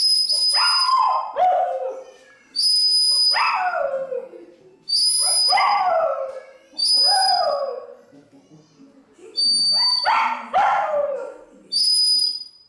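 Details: A Pomeranian gives short, falling, whiny howls, over and over, over high steady musical tones, trying to sing along while listening to music.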